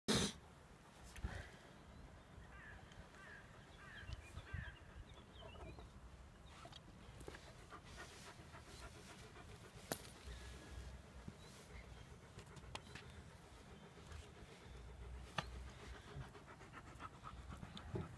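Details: A Tornjak, the Bosnian-Croatian livestock guardian sheep dog, walking along the Drina river with a Bukovina shepherd dog. Steady, breathy panting runs through a low, rough outdoor rumble, with faint chirpy bird notes early on and occasional sharp clicks.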